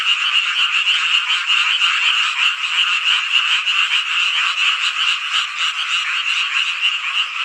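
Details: Numerous frogs calling together on a midsummer night in Hongcheon, Gangwon Province, South Korea, their rapid, overlapping croaks merging into a bright, throbbing trill that rises and falls slightly in loudness.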